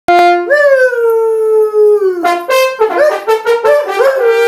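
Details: Poodle singing in a duet with a French horn player: a long steady horn note, then wavering, rising and falling howls that overlap the horn's tones in short repeated phrases.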